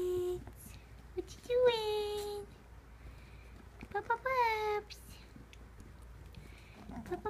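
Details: Three-week-old whippet puppies waking up indoors, giving high whining squeals that slide downward, two main bursts about two seconds apart with fainter squeaks between, in a quiet small room.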